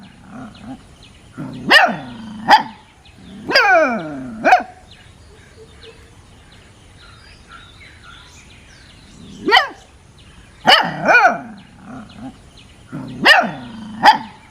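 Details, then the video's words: A puppy playing and sniffing outdoors, giving bursts of high, yappy barks, some in quick pairs and some with whiny drawn-out tails, separated by quiet pauses of several seconds. "Puppy Barking 🐕 Puppy Funny Barking sounds"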